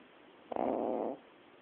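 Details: Yorkshire terrier snoring: a single rough, throaty snore lasting under a second, loud and harsh, with quiet breathing before and after.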